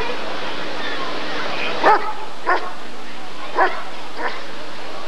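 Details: Rottweiler barking at the 1994 ADRK Körung breed survey, during the character test of the male Janko von der Steineiche: four short, sharp barks spaced irregularly over a few seconds, over a steady background hum.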